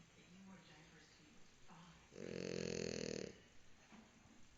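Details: French Bulldog named Mozita snoring while asleep: one loud, raspy, buzzing snore of about a second, between quieter breaths.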